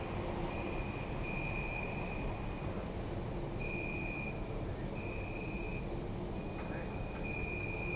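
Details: Crickets calling at night in an urban park, Zoom F3 recording: high rapid chirp trains interrupted by brief silences, overlapping lower steady trills of varying length, with background low-frequency traffic rumble.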